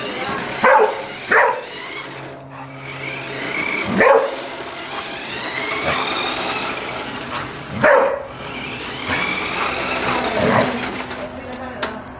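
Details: Pet Golden Retriever Fabio barks at a Spiderman toy, giving five or six loud, abrupt barks at uneven intervals across twelve seconds, with a steady background hum and faint voices between barks.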